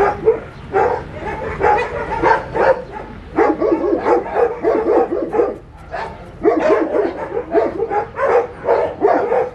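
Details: Puppies and an adult dog, with many overlapping short yips and barks in rapid bursts, nearly continuous over ten seconds with brief pauses.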